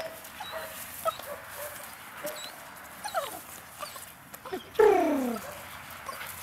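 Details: Puppies eight weeks old, a litter of two males and two females, playing: faint scattered yips and rustling, then a loud whining whimper that slides downward near the end.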